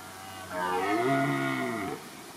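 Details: A red deer stag in the Weerterbos at Nederweert, Netherlands, recorded close up during the rut, gives a single deep, drawn-out rutting roar that swells and then fades.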